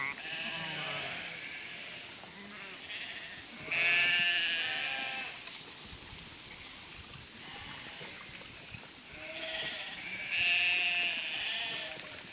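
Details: Sheep in a 1000-strong flock herded by a border collie across a river narrows, giving quavering bleats that swell in two loud clusters amid softer scattered calls and constant rushing background noise.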